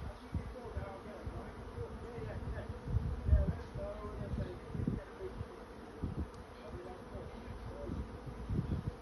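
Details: Honey bee swarm finding a new home: a dense, low droning hum with a rough, fluttering texture, swelling in short louder pulses, notably around the third second, with no other sounds standing out.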